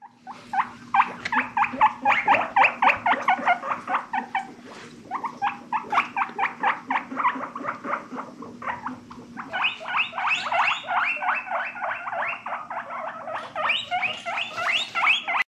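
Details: Guinea pig calling in a long run of rapid, evenly pulsed squeaky chirps, several per second, shifting slightly higher in pitch partway through, with a faint steady low hum beneath.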